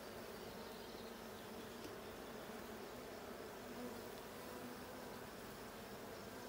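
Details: Steady buzz of honey bees from a blue hive being checked on 20 June 2022, a thick continuous drone with a few brief higher tones over it.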